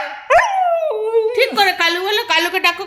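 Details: A husky talking to its owner to say hello: a long tonal howl-like note that slides down and levels off, followed by a run of shorter wavering, yodel-like vocal bursts, with a human voice nearby.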